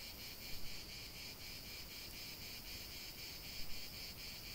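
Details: Cicadas singing in nature during a long relaxation recording: a steady, dense high buzzing that pulses faintly, with a few soft louder swells and no other voices.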